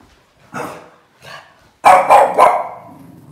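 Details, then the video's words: A Boston Terrier barks at the TV indoors with sharp, broadband barks: a few single yaps, then a quick burst of three. "Funny Boston terrier dog Yoda barking at the TV"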